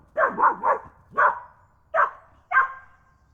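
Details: Outdoors in the UK, where someone throws a tennis ball for dogs near a bird nesting site, a dog barks six times: a quick burst of three sharp mid-pitched woofs, then three single barks about two-thirds of a second apart.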